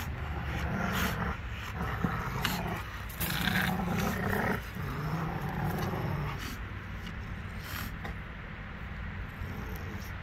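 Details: Two Rottweilers growling as they play with a tire; rough, low rumbling growls come in uneven bursts, with scraping and shuffling noises between them.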